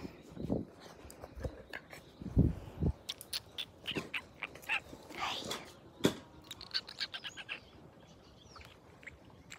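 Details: Australian Cattle Dog puppies, also called Blue Heelers, playing together: short high squeaks and yips scattered among soft scuffling thumps and clicks, with brief sharper bursts, fairly quiet throughout.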